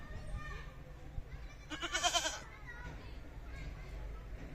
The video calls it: Goat Sounds & Goat Videos ~ The Sound A Goat Makes ~ Animal Sounds